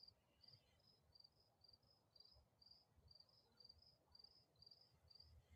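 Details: Crickets chirp at dusk in a neighbourhood where peacocks and geese roam, in short, high pulsed bursts about twice a second, over a low rumble of background noise.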